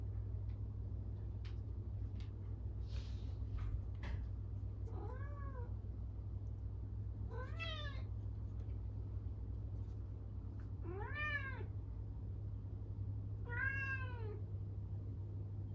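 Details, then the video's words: A lonely Norwegian Forest Cat calls loudly after its owner goes out: four rising-then-falling meows, about two to three seconds apart, increasingly strong, against a constant low background hum. "飼い主がいなくなると寂しくて大きな声で鳴いちゃう猫 ノルウェージャンフォレストキャット"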